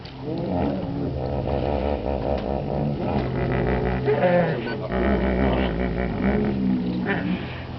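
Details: Deep, pulsing hippo calls from Chobe National Park, Botswana, recorded July 2005; a continuous chorus of rapid rhythmic honks and groans with rich harmonics, steady and loud throughout, with a low rumble beneath.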